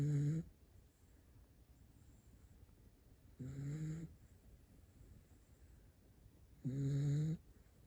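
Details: Toy Poodle sleeping and snoring: three short nasal snores, each under a second, about every three seconds, with a buzzing rasp and faint hissing breath between.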